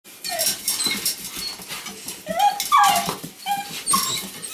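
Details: Weimaraner puppies from the Indigo and Magnum litter: a run of high, squeaky whimpers and short squeals from several pups, some rising and some falling, overlapping in quick succession with faint rustling behind.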